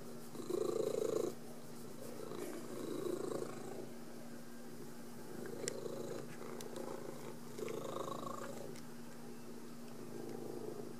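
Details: A pet cat named Kelly, or Pretzel, purring as she welcomes her owner home from work, a soft continuous rapid purr rising and falling in loudness over about eleven seconds, with faint clicks in the room.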